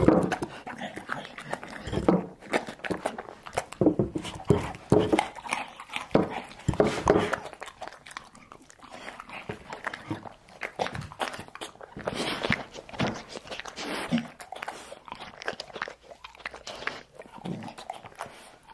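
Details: Pet dog eating home-cooked food, briefly high-heat treated meat and curd, indoors in a small room: continuous wet chewing, smacking and licking with irregular crunchy bursts and clatter.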